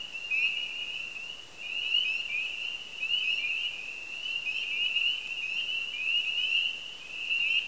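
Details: A dense chorus of spring peepers at a marsh on the edge of Lake Lily, Copper Harbor: countless high, rising peeps overlap into a steady shrill ring.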